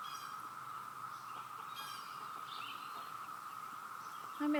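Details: Cicadas all around give a steady waterfall-like drone at one pitch, with faint bird chirps overhead and a person starting to speak at the very end.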